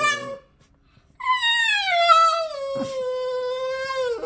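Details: Boston Terrier kept as a pet, indoors in a small room: a short wail, a pause, then one long harmonic-rich howl that starts high and slowly slides lower over about three seconds, with a brief knock midway.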